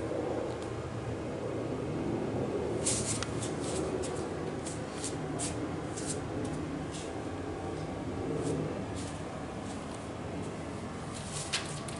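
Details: Indoor room tone with steady low rumble and scattered brief clicks and taps, possibly a corgi puppy's paws on the floor as it runs around, with no clear animal vocalisation.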